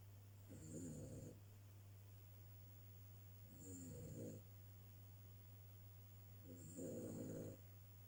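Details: Cavalier King Charles Spaniel snoring while asleep indoors, three rough rasping snores about every three seconds over a steady low hum.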